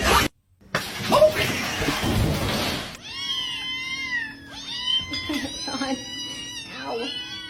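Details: Domestic cat meowing in a funny cat compilation: after a burst of loud noise, several overlapping arched, wavering meows follow one another over about four seconds. Faint background music runs underneath.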